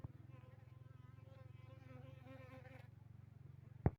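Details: Asian honey bee colony, Apis cerana, tested with introduced Apis mellifera drones at a honey bee yard in Bener Meriah, Tingkem Bersatu village, Aceh, on Saturday 6 November 2021; steady low droning hum with pulsing buzz, a sharp knock near the end.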